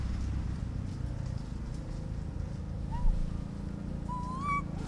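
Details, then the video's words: Orphaned baby monkey calling for its mother: a soft brief whistle, then a longer rising whistled coo near the end, over a constant low background rumble. "The sound of a baby monkey calling to his mother"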